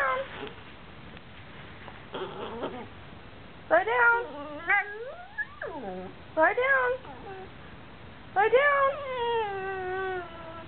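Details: Basenji and Chihuahua mix dog crying indoors while wanting to go out when asked to do something: bursts of high, wavering, yodel-like whines that rise and fall in pitch, with several separate cries and quiet gaps between them.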